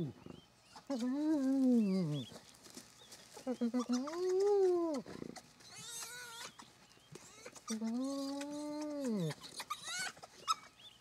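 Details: Spotted hyena family at a den in Kruger National Park, South Africa, as the rest of the family returns to a mother and cubs; three long, arched, moaning calls with rich harmonics, each lasting one to two seconds, with clicks and rustling between.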